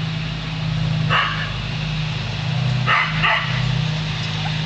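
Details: Lasky the Border Collie barking at a passing hot air balloon. Three harsh barks, one near the start and a quick double later, stand out against a continuous low mechanical rumble.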